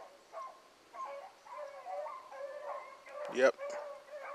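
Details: Blackcreek hound pups chasing a rabbit in the morning, the pack turning and coming back. Drawn-out, wavering bays overlap, broken by a sharp nearby thump or click near the end, with faint human voices.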